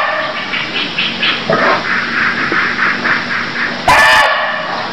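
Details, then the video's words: Cambodian barking deer calling: a rapid series of short, evenly spaced harmonic pulses about five per second, then a sudden loud, rasping burst near the end, over steady background hiss. "Cambodia Sound Deer Calls || សម្លេងសត្វឈ្លូសស្រែក"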